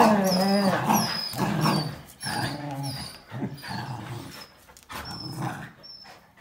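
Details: Jack Russell Terrier and two Border Collies, one black and white and one red and white, playing tug with a towel indoors: rough growls and short barks in quick, uneven bursts, with squeaky high whines between them.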